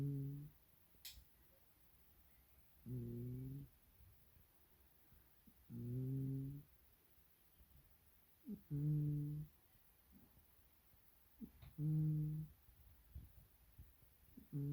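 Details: Pet cat named Supes humming in his sleep indoors: soft, low, nasal hums with layered harmonics, each about a second long, returning roughly every three seconds over quiet room hiss.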